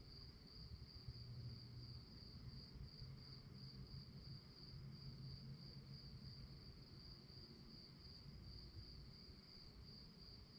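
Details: Night-time cricket chorus, a continuous shrill pulsing trill held at one high pitch from start to finish, with a dull low-frequency rumble underneath.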